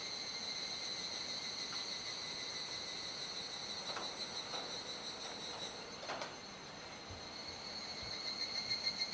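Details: Cicadas in a dusk chorus at Kuji, Iwate Prefecture, Japan, around 19:11–19:25 on 17 July 2017 during the rainy season, fading as the sky darkens; steady high shrill tones with pulsing bands, a few brief broadband clicks mid-recording.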